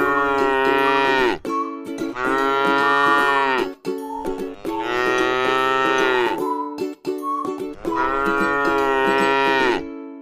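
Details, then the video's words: Four long, sustained moos from a tame cow feeding on grass in a paddy field. Each low, richly harmonic call lasts one and a half to two seconds and is separated by brief pauses. Occasional clicks are heard. "suara sapi lucu jinak yang sedang makan rumput di ladang sawah"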